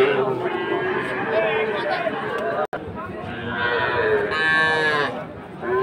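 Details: At a livestock market in Ambari, Dinajpur, on a Monday, 20 February, a Sahiwal calf gives a short, bright moo near the end. Steady voices and crowd bustle fill the background.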